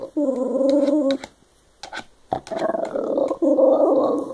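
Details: Shiba Inu. A Shiba Inu gives long, wavering vocal noises, part whine and part grumble, mid-pitched and nasal. Two sustained bursts are split by a short quiet gap with a few small clicks and sniffs.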